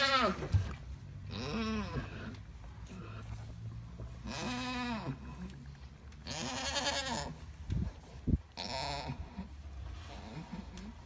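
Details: Bleating from an Alpine goat during the birth of triplet kids: several drawn-out, arched, quavering bleats over a steady low hum, with a couple of sharp knocks near the end.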